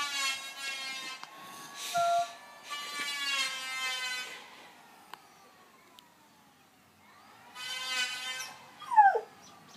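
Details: Dog howling at a planer, the tool's loud harmonic whine rising and falling in bursts, with a faint thin howl line beneath and a short bent howl note near the end.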